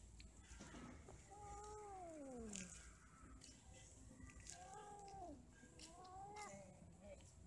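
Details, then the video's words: Quarrelling and mating domestic cats: a long falling yowl sliding downward, then a gap and further arched, wavering cries near the end, with faint background hum and rustles. "8 Kucing lagi Kawin ,Cat merried , Cat playing, Cats mating, Cats quarrel"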